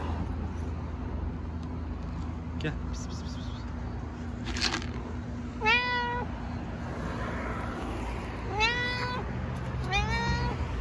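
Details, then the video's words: Stray cat in Istanbul meowing three times, each meow a clear harmonic call with a slight rise then level tone, spaced about two to three seconds apart, over steady low traffic hum and faint voices. "Cute talkative cat meows unbelievably"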